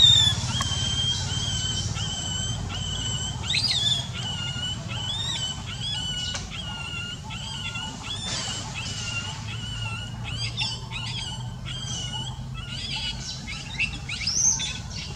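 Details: A pained baby monkey with an injured eye gives long, thin whimpering whistles, held and wavering, broken by sharper upward squeaks, over a constant low background drone.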